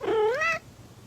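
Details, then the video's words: A cat lets out a single short meow, about half a second long, rising then dipping slightly in pitch, then fades into a quiet low hum. "Cat Fight"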